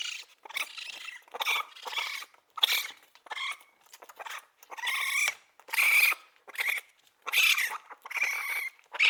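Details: Baby raccoon repeating short, squeaky, trilling chitters and whines about once per second, some with a thin whistled tone that rises and falls, separated by soft rustling clicks.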